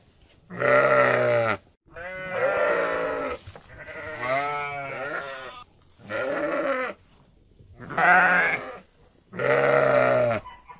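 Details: Sheep, in a mixed group with goats, giving a run of six bleats: steady nasal calls alternate with longer shaky, trembling ones, each about a second long, separated by brief quiet pauses.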